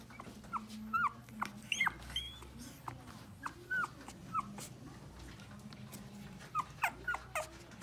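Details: New long-haired Chihuahua puppy, a cheerful 600 g female born January 6 and just brought home, letting out short, high, squeaky whimpers and peeps in loose bursts throughout, over quiet indoor background hum.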